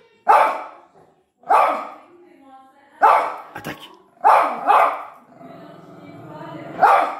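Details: Simba, a pinscher kept as a pet, barks wildly after hearing a small noise; six loud, sharp barks come in bursts roughly a second apart, with a man's voice urging him on between them.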